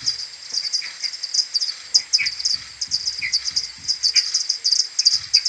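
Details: Maternity colony of common pipistrelles coming back to the roost at morning on 21 May, AudioMoth 1.1 recording slowed ten times: rapid overlapping high clicks from several bats, with scattered lower swooping chirps and faint low tapping.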